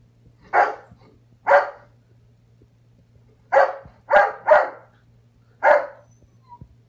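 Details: Foster puppy barking while playing a chasing game with a cat: six short, sharp yaps, singly and in a quick pair, separated by quiet gaps, with a low steady hum underneath.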